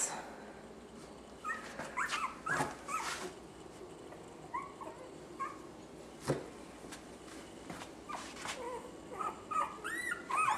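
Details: Young puppies from a litter of six females giving scattered soft, high, squeaky whimpers and short yelps, some overlapping, over faint rustling and background noise.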